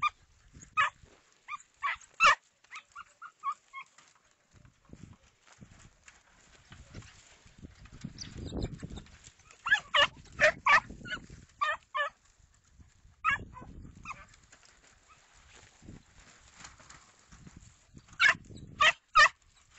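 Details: Segugio Italiano hound giving short, sharp barks in scattered bursts, some doubled or tripled, separated by quieter stretches with low rumbling background noise.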